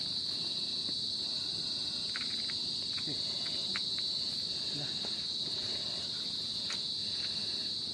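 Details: Insect in a mangrove, heard from a bridge, gives a continuous, piercing high buzz on one level tone without pausing, with faint clicks and soft low rustling coming and going underneath.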